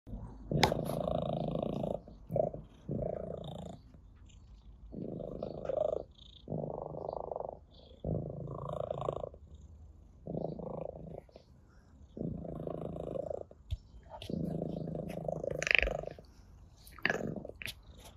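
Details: Ginger, an orange tabby cat, purrs while being stroked indoors; a rumbling purr in rhythmic pulses, each lasting about one second with short pauses between breaths, plus a few faint clicks and rustles.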